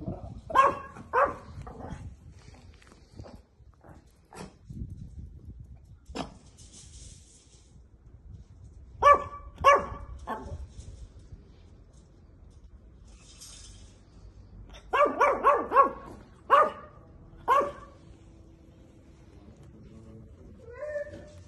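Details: Female Chihuahua puppies in Italy giving short, high, clipped barks in irregular clusters separated by quiet gaps, with a few soft whimpers in the background.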